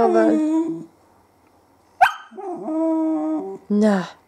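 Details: Young female whippet, 20 weeks old, 'talking' at home: drawn-out whining, yodel-like howls with rising and falling pitch, a brief sharp yelp, then more sustained moaning tones; a person speaks nearby.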